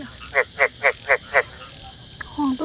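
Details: Frogs calling in a flooded rice field behind a house: five short, loud, rasping croaks in quick succession, about four a second, then a brief pause and faint other sounds.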